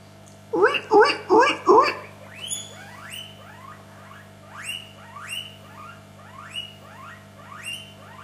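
A guinea pig gives loud, squeaky squeals followed by a series of softer rising whistles.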